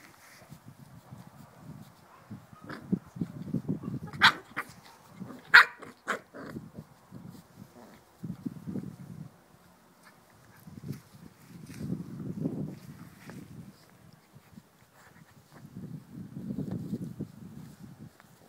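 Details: Chow Chow dog giving low, rough growling or grunting bursts, each a second or two long, spaced every few seconds, with a few sharp clicks and knocks near the start.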